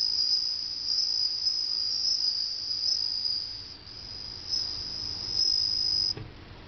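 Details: Bell cricket singing in summer, a high, bright, ringing trill that carries on almost without a break.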